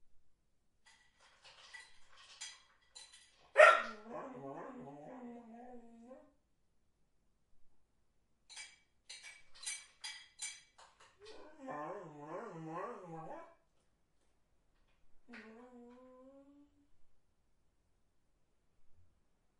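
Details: Dog whining: drawn-out, wavering, tremulous high whines in several long bouts, opening with a sharp yelp-like burst, with a short rising whine near the end and faint scratchy clicks between bouts.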